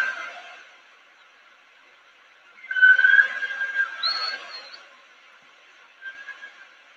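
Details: Part of a humpback whale song, of the kind recorded off Nova Scotia every winter: after a faint start, a loud burst of moaning, whistled upsweeping tones rises and wavers for about two seconds, then fades, with a softer phrase returning near the end.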